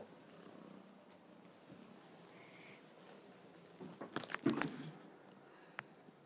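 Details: Ginger kitten purring softly while retrieving his favourite soft toy "Batty" and behaving like a dog; a low, steady, faint rumble runs throughout, broken near the end by brief rustling and handling noises in a small indoor room.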